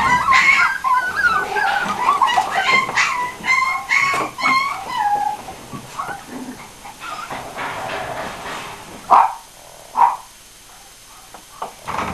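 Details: Pinschers from an Aquitaine kennel in France yapping in quick, high, whiny bursts for the first seconds, then fading to softer scattered whimpers, with two sharp isolated yelps near the end.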